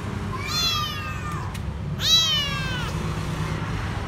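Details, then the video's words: Lone, dirty, frightened kitten hiding under a food truck at a grocery store, crying for food: two drawn-out, slightly falling meows about a second and a half apart over a steady low background hum. "Poor little kitten is afraid and asking for food"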